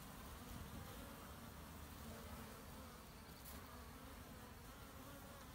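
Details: Pollen-collecting honey bees from a home apiary, 18 March 2018: dense low buzzing of a crowd of bees, steady in level, with a soft high whine layered over the drone.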